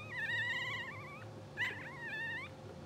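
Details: Two-hour-old English Bulldog puppies from a blue sable litter, twitching and dreaming in their sleep, give wavering, high whining squeals: one long quavering cry, a brief sharp squeak, then a shorter whine, over a low steady room hum.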